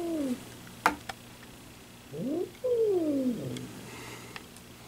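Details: Domestic cat making noises described as funny hissing: short falling moans, then a rising whine jumping into a longer drawn-out descending yowl, with a few sharp clicks and knocks in a quiet room.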